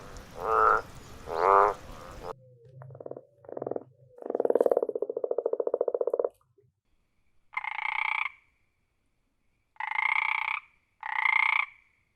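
Frogs calling in short bursts: a rapid rattling croak, then several brief nasal, honking notes.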